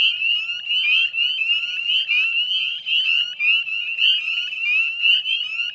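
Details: Northern spring peepers calling en masse at a salt-marsh wetland in West Chezzetcook, Nova Scotia, at dusk in mid-May 2020; shrill rising peeps stack and overlap, pulsing slightly in loudness as many frogs call at once.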